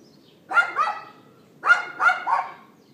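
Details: Neighbour's dog yapping, April 18th 2012 at 11:31 AM, iPhone 4S recording: two bursts of rapid double yaps, each bark short, bright and slightly rising, about a second apart.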